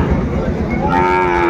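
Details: Young Sahiwal bull calf at the Ambari cattle market in Dinajpur, Bangladesh, 14 March 2025: one rising, drawn-out moo near the end, with steady crowd murmur and bargaining voices throughout.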